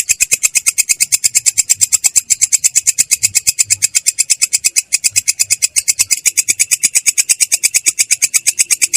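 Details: Belalang kecek katydid rolling in ngerol style, clear and harsh: a dense, steady stream of high rasping pulses, slightly uneven in spacing, with a faint low rumble beneath.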